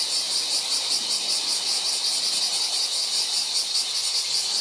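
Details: Bear cicada singing on July 19: a loud, dense, high-pitched buzz that surges rhythmically about two or three times per second and holds steady without a break.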